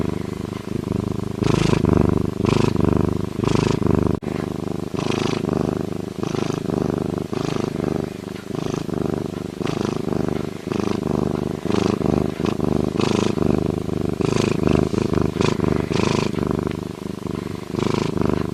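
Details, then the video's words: A lynx purrs in a continuous low, grainy throbbing that rises and falls in quick regular pulses, with occasional sharper breathy accents over the deep rumble. "Lynx sound effects - Lynx purring"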